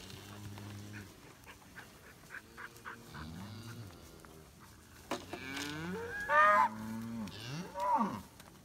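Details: Longhorn cattle worked into a pen by Lacy dogs: several short, low moos early on, then louder, strained bawling calls that rise and fall near the end, with scattered clatter in the background.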